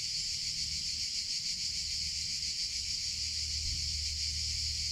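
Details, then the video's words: Cicadas in summer: a dense, unbroken high buzz with a faint pulsing shimmer, steady in loudness throughout, over a soft low rumble. "CICADA SOUNDS - Sound Effect of Cicadas in Summer Sounds of Cicada (Chicharra, Campanero)"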